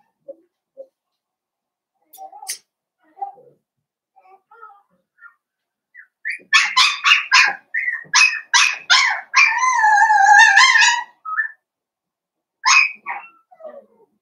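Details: Play between a Cavalier King Charles Spaniel mother, Paris, and her blenheim puppies born at New Year: faint squeaks build into a string of rapid high yips, then a sustained wavering whine, then a last couple of yelps.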